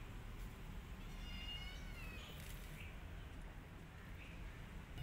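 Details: Domestic cat scene where a mother cat attacks an orphan kitten that is not hers: faint, high, thin mewing with wavering pitch, a few short cries over soft background hiss.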